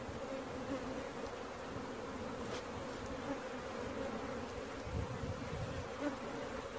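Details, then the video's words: Swarming honey bees during capture fill the air with a constant, unbroken drone, level and low-pitched, with faint knocks and handling noises in the background. "Catching Bees start to finish bee swarm"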